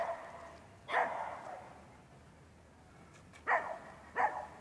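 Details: Three sharp, isolated barks from the Rough Collie puppy Manakel Lakefield Talking Blues in training, 13 April 2015, one early then a close pair near the end, quiet pauses between.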